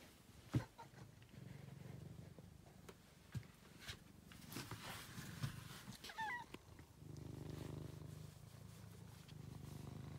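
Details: Angelus, a rescued male pet cat, purring in a low pulsed rumble that fades and returns strongly after seven seconds, with scattered clicks and rustles between.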